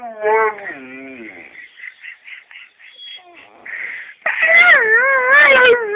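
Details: Calla, a female pet dog, greets her owner home from work with unusually low-pitched whining and whimpering. Wavering, warbling harmonic moans and a person's higher imitation whines lead into a loud, sustained, quavering low whine.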